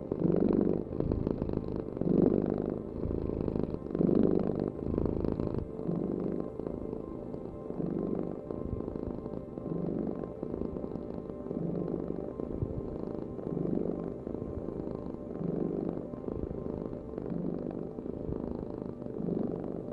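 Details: Domestic cat purring: a steady low rumble that swells and fades with each breath, roughly every two seconds, with a faint background hum that may be soft music.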